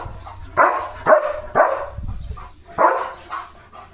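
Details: German Shepherd Leo, a household pet, sounding off when rain comes: four or five harsh, loud barks at about two per second, fading at the end, over a low rumbling background.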